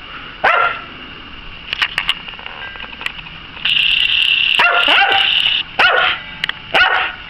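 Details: Obedient pet Eskimo dog barking on command, with loud, sharp barks spaced irregularly over several seconds, a long ringing bark in the middle, and a man urging it on.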